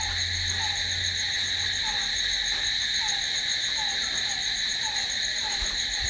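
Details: Crickets at night, a steady high, continuous shrill trill holding unbroken throughout, with a softer short note repeating roughly every 0.7 seconds underneath and a faint low hum early on.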